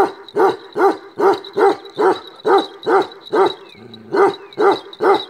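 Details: A black male Kashmiri Eksaya, a Himalayan livestock guardian breed known for ceaseless barking, barks steadily with deep, harsh barks repeating more than twice a second.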